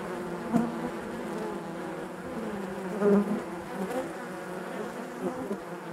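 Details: Honey bees in the hive give a soft, constant buzzing drone, with a brief close buzz early on and a louder pass around three seconds.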